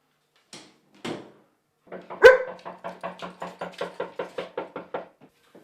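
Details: German Shepherd dog, female, barking at home while guarding the house and garden against perceived danger from visitors: two separate barks, then a loud bark followed by a quick, even run of about a dozen barks, indoors, with a trainer present.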